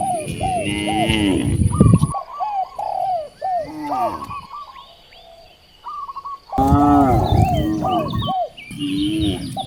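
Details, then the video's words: Two loud, drawn-out moos from hungry cows near rice fields in a rural village, separated by a quieter stretch filled with steady, repeated bird chirps and cooing. "The sound of hungry cows mooing towards the vast rice fields"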